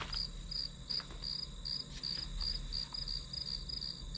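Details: Grass insect sounds as white noise for a study session: clean high chirps repeating about three times per second in a regular, ringing rhythm over a low hum, with little else audible.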